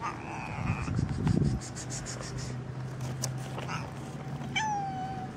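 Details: Street cats, a black one among striped ones, in the street: a short meow at the start and a clear falling meow near the end, with a steady low hum and some thumps between.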